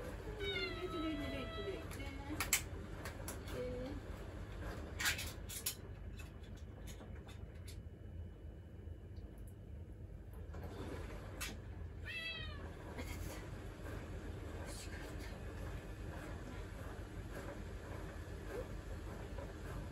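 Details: Domestic cat Mugi seeking attention when someone stands in the kitchen: a few short harmonic meows near the start and another around twelve seconds, with human speech and kitchen clatter in between.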